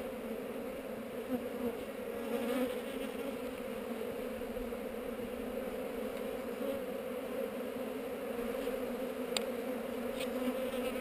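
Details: Honey bees on heather during a hive inspection, filmed on a GoPro: a steady, even hum with a low drone and a brighter overtone running unbroken through the whole stretch, with a couple of faint clicks near the end.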